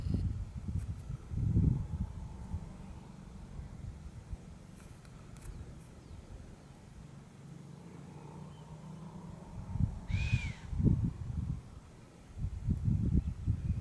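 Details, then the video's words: A chamois gives a single sharp whistle, bowed and slightly falling with a breathy edge, late in the recording. Low, rumbling wind noise runs throughout. "Il fischio..... del camoscio"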